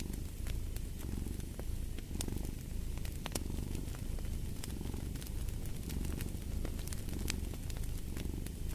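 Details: Rumbling cat purr, low and rhythmic, rising and falling roughly every second, accompanied by bright crackles and pops of a burning fireplace.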